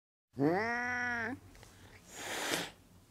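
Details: A cat utters a single, drawn-out, nasal meow lasting about a second, holding steady with a slight upward turn at the end, then a breathy, hiss-like rush of noise follows.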